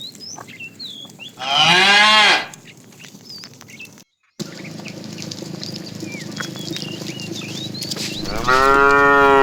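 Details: Cows roaming a road looking for food, tame; a rich, wavering moo rises then drops, followed by a gap, background hum and bird chirps, and a second moo starting at the end.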